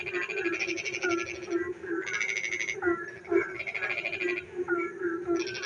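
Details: Night chorus of frogs as rain falls: several overlapping callers trade short pulsed rattles and clicks, with a steady low droning band of calls running underneath throughout.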